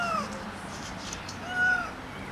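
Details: Strays, eight cats and a ginger kitten, fed outside in the rain; two clear descending meows, one at the start and one near the end, with soft background noise between.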